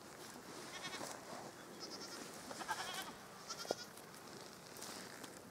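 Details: Baby goat kids eating and playing on a farm while a guardian Maremma dog named Fluffy watches over them against predators; a few short, thin bleats break out over steady rustling and munching, with brief knocks in between.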